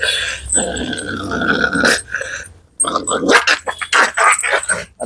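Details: A dog on a leash challenge gives rough, noisy growls broken by harsh bursts, with a brief silent gap midway before more snarling; faint music and human voices sit underneath.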